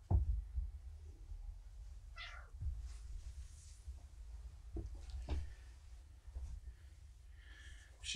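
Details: Morticia, a female rescue cat taken in at a Purrfect Pals volunteer's door, indoors and more interested in food than attention, gives a short wavering meow near two seconds and a fainter one near the end, amid soft handling knocks and room noise.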